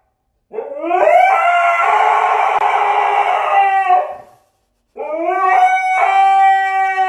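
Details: Howling dog in a funny pet compilation: a loud, rough, rising howl held for about three seconds, a brief pause, then a second clearer sustained howl.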